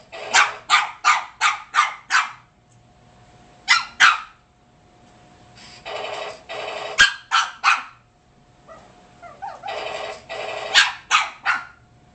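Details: Shih Tzu confronting a robotic boa toy, yapping in fast runs of sharp barks, then rougher, drawn-out growling barks and a short whine before another burst of yaps.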